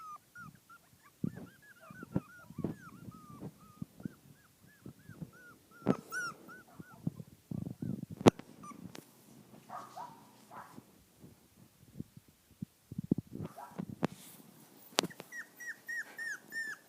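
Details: Five-week-old poodle-shih tzu mix puppies on grass for the first time whine in a quick repeated series of high, arching squeaks, broken by rustling and thumps, then more steady whining at the close.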